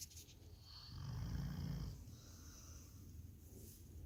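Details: Labrador Retriever snoring: one long low rumbling snore around the middle, with a faint breathy hiss above it, in a quiet room.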